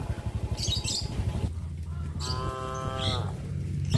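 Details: Traditional livestock cattle moving about on village streets on a farm. A single drawn-out harmonic moo rises over steady low rumbling thuds, with brief hissing noise before it.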